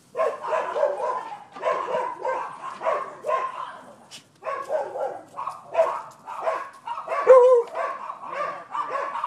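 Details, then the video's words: Nuisance barking from neighbors' dogs on 12/7/15: rapid, nearly continuous volleys of barks with only a brief pause near the middle, loud throughout. "Barking Dogs"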